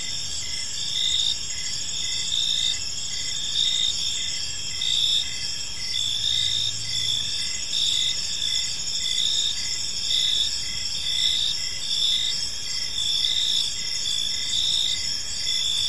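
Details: Gentle cricket chirping fills an evening park: several overlapping high, steady trills with rhythmic pulsing, constant volume, and a faint low hum from the surroundings.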